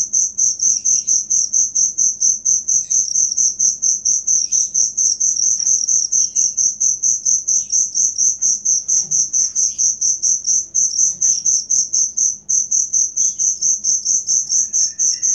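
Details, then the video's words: Cricket sound meant as material for songbird training: continuous shrill chirping in quick pulses roughly twice a second, steady and loud, with occasional faint bird chips in the background. "Suara Jangkrik asli"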